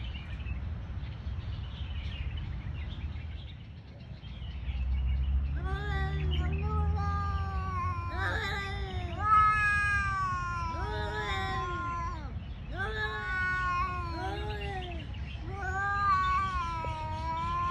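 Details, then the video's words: Male stray cats fighting over territory: drawn-out, wavering yowls with rich overtones, rising and falling in long overlapping wails from about five seconds onward, over a steady low rumble of background noise. "Cat funny sounds"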